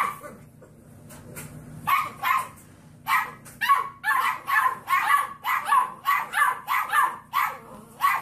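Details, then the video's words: Puppy learning to bark: a long run of short, sharp, rough barks, first sparse, then repeated about every half second in an uneven rhythm, over a low steady background hum. "Puppies Barking - Cute Puppies Barking Compilation"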